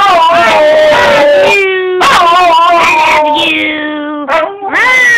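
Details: A Wire Fox Terrier called Snoopy welcomes its owner home for the weekend with a run of loud, quavering howls: some high and bent, some lower and steady, and a final rising whine.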